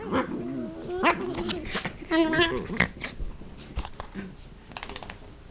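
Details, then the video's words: Dachshunds fighting each other again, more aggressively this time: rough growls and arching whiny snarls, then sharp bursts of yelping, with people talking and music in the background. "Wiener fight round 2"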